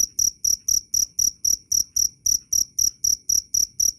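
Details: Cricket in a loud, clear recording meant as a tutor sound for songbirds: sharp, high, ringing chirps repeated steadily about four times a second, each a short bright pulse with a faint low thump beneath.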